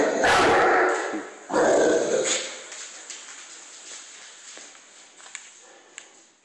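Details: A 150-pound Cane Corso, frightened of a broom, gives two loud, rough barks in the first two seconds, then goes quiet. Only faint room noise and small clicks follow.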